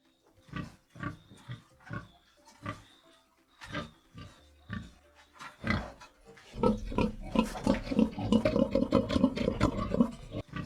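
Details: Pig grunting on a farm: short separate grunts at first, then a dense, noisy run of rapid grunts and squeals in the second half.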